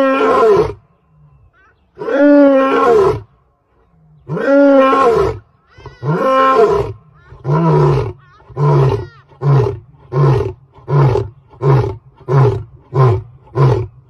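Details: A lion roars loudly: a few long, deep moaning roars give way to a run of shorter, quickening grunts.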